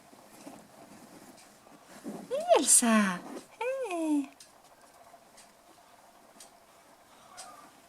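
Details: Five-week-old toy poodle puppies, black and white, named Bullet, Elsa, Erin and Mikasa, playing indoors: a brief burst of high, bending squeals and yelps with harmonics, then quiet room background with soft patter.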